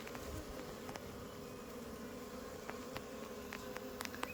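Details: Swarm of honey bees being captured and put back into the hive: a steady, dense buzzing hum with a low drone and scattered faint clicks.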